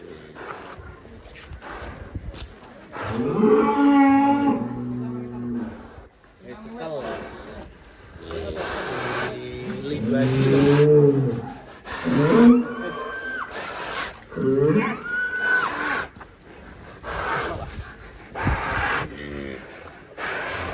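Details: Raging cow bursting out of the pen, lowing again and again: a string of loud, quavering moos, some long and wavering and others clipped and abrupt, with background clatter and faint voices.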